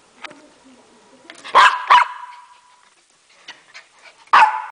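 A Lhasa Apso barks in short, sharp bursts: a quick pair, then a lone bark a few seconds later. A steady faint tone and soft background noise run between the barks.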